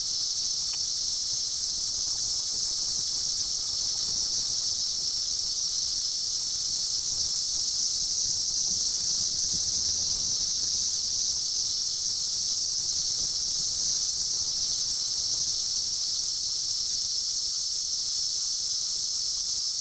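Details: Seventeen-year cicadas, emerged by the billions in 2004 to mate: a dense, unbroken high-pitched whine holds steady for the whole stretch, with a faint low rumble of background beneath.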